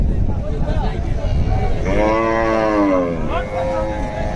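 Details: Cattle at the Gabtoli cattle market in Dhaka during the 2022 qurbani season. A single drawn-out, wavering moo rises out of a steady roar of crowd and traffic noise.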